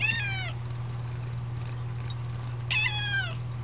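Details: Calico kitten indoors trying to say "out": two drawn-out, nasal meows about two and a half seconds apart, each bending downward at the end, with a steady low hum behind.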